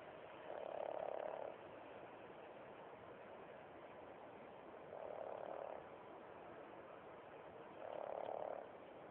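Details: Frank N. Stein the pug snoring while asleep on a bed, three rasping, buzzy snores about every three and a half seconds, each lasting under a second, separated by quiet breathing against a steady hiss.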